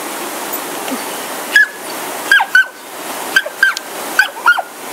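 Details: Smooth Fox Terriers Oscar and Lucy, excited and loudly verbal while facing a raging waterfall in Sonoma; sharp high yips come in quick pairs and singles with short gaps between them, over steady rushing water.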